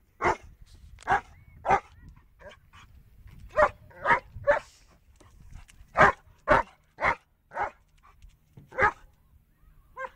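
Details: A German Shepherd that cannot stand the sound of a car horn barks in sharp, irregular bursts at the horn, roughly two barks per second at its fastest.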